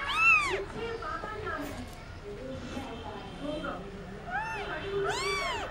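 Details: Indian street kitten crying as it plays, giving a sharp high meow at the start and two more near the end, with people talking quietly in between.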